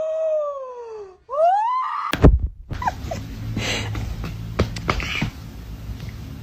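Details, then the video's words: Kitten giving two clear meows: a long falling, harmonic-rich cry lasting about a second, then a shorter rising one. A sudden loud bang follows, then a noisy clatter and background commotion for the rest of the recording. "kitten meowing cute"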